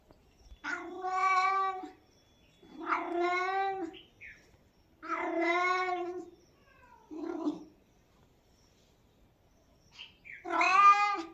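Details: Cat repeating plaintive meows, five main calls roughly two seconds apart, each a harmonic, slightly falling wail, with a couple of brief soft chirps between them; quiet indoor background.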